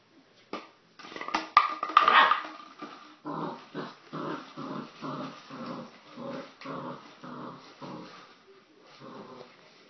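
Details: Young puppy going wild while playing with plastic bottles; crackling plastic rustle at first, then a run of short growly vocal bursts repeated about twice a second.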